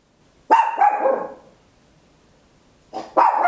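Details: Papillon, a tiny dog barking very loud at home, captured in stereo on an Olympus LS-11; a quick burst of two or three clipped barks, a second of silence, then another pair of sharp barks starting again.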